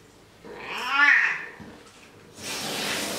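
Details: Male house cat getting a shower in a bathroom indoors: one drawn-out meow that rises then falls, followed by the steady hiss of running warm water.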